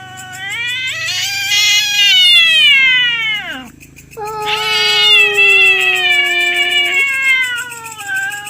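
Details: Domestic cats quarrelling over territory at night trade two drawn-out, harsh yowls; the first bends downward and fades, then after a brief pause a second wail with a lower, steady tone returns and lingers.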